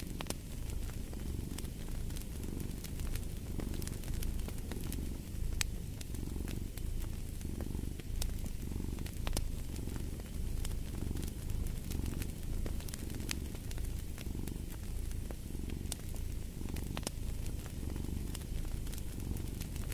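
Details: Steady low rumbling cat purr swelling and fading with each breath, roughly once a second, under frequent sharp crackles and pops from a burning fireplace.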